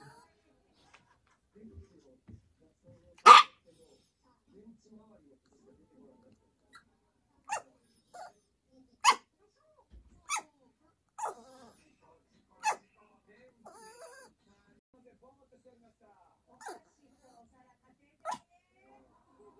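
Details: Pet Yorkshire Terrier Choco demanding that its owner sleep with it: one loud bark followed by a string of lighter, quick yaps every second or so, separated by quiet pauses and faint shuffling.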